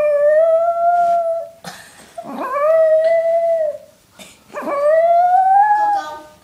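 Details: Pet dog howling along to a clarinet indoors: three long tonal howls, each rising sharply then holding a steady wavering pitch for about a second and a half, separated by brief gaps with breathy noise and faint clarinet notes.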